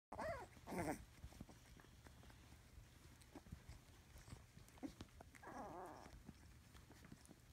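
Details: Three-week-old Scottish Terrier puppies, faint and indoors: two short, wavering, high squeals, one near the start and one later, with soft shuffling and quiet background between them.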